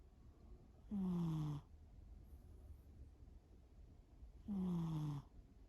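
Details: Shimao the cat snores in sleep, two long, even snores about three and a half seconds apart, each a falling, whistled tone wrapped in breathy rasp, with near silence between.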